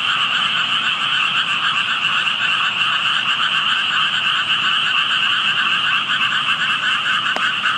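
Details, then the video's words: Frogs calling unseen near water where only tadpoles were visible, heard by a passer-by: a dense, unbroken chorus of many overlapping trilling croaks at two steady pitches, holding constant throughout, with one brief sharp click near the end. "개구리 소리"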